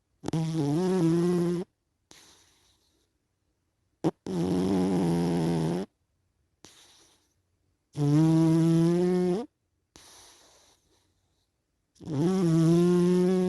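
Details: Sleeping cat snoring in a steady rhythm: loud, buzzy, nasal in-breaths lasting about a second and a half, each followed by a faint, airy out-breath, the cycle repeating roughly every four seconds.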